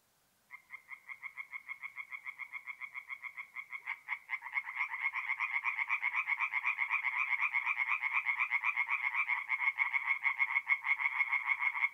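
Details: A tree frog begins a fast, even series of rasping notes at a north-east Italian forest pond on an April night, then after four seconds more frogs join and the pulsing chorus swells and thickens.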